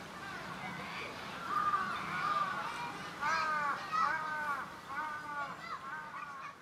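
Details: Serval cubs at Tama Zoological Park, male Apollo and female Luna, born 28 September 2015 and recorded 29 February 2016, give high, kitten-like mews in short arched bursts, repeated every second or so.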